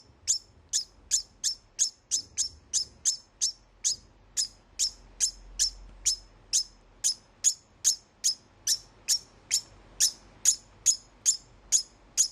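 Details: Pet male degu calling right after mating, a call said to warn other males away from the female, though no other males live with him. Sharp, high chirps repeat steadily, about two to three each second, in a long run.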